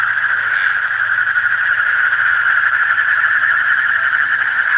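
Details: Frogs in the deep night produce a steady, rasping chorus of rapid pulses fused into one sustained mid-pitched buzz, even in loudness for nearly five seconds.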